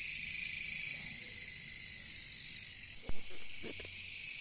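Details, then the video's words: Katydids, called caricangkas locally, in a jungle setting: a dense, steady, high-pitched buzzing chorus that eases slightly after three seconds, joined by a few low, falling frog croaks and clicks near the end. "bunyi caricangkas katydids bush crickets"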